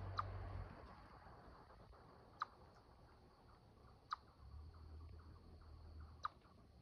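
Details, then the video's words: Chipmunk chirping to defend territory: sharp, short chip notes spaced about two seconds apart, three in all, over a low steady rumble. "Chipmunks chirping sound to defend territory"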